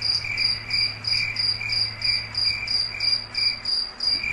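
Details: Crickets singing at night in a foggy forest: a steady high chirping, pulses repeated about three times a second with a second brighter voice overlapping, over a faint low hum.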